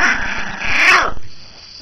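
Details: Maltese dog guarding a prized grapefruit skin lets out a harsh, noisy growl with a faint rising tonal edge, lasting about one second before dropping off into quiet.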